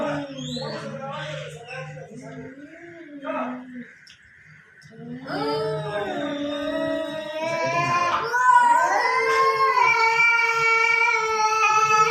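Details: A cat quarrel in front of a house: a low humming background and short broken sounds give way to a rising, strained, harmonic yowl that grows louder and holds steadily to the end.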